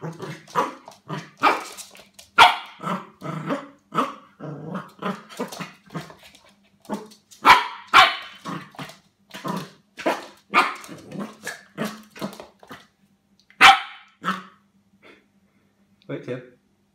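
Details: Pembroke Welsh Corgi puppy fighting with cups gives rapid, yappy barks mixed with low growls, with sharp clatters between.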